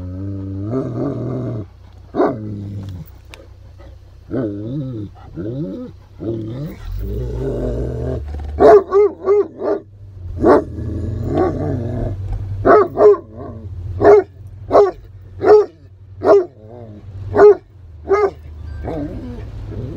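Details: Excited Great Pyrenees on a rainy-day outing to Harvest Walk shopping mall in Oyama, Japan; after low murmuring and rumbling, a run of sharp barks repeats roughly every second through the latter half, over steady low engine hum.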